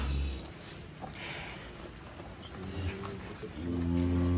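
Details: Giant cow from Bintang Tani Farm, weighed at 802 kilos, being unloaded from a truck. It gives a short, deep, low moo at the start and a longer rumbling moo near the end, with music and voices in the background.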